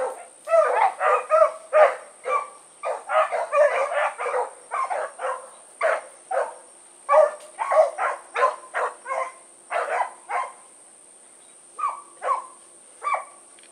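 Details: Blackreek pack of dogs, Choco, Dino, Johnny Ringo and Mingo, on an evening run, 16 August 2014; a rapid stream of overlapping barks and baying from several dogs, with a steady high electronic whine throughout.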